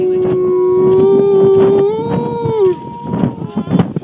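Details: Gray wolves (Canis lupus) Nuka and Tala, captive at the UK Wolf Conservation Trust, give a long, steady howl that swells slightly higher before dropping away at the end.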